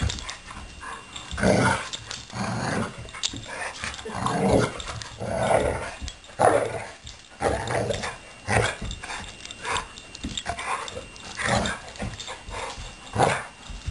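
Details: Two dogs, Blue and Suri, in a boisterous romp; growly, snarling bursts repeat roughly once a second, uneven and rasping, with soft scuffling sounds in the gaps.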